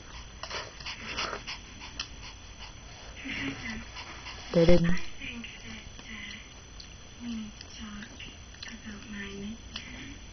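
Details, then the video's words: Maltese dog named Meaobe guarding a prized grapefruit skin indoors, giving low, short rumbling growls in several separate bursts, with a sharp louder sound near the middle and background noise throughout. "Maltese dog : my name is meaobe, I LOVE grapefruit ! nobody can touch it!!!"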